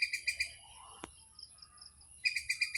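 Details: A squirrel around Chaprashirhat gives quick bursts of sharp, high chirps, pausing in between before chirping again. Finding: squirrel.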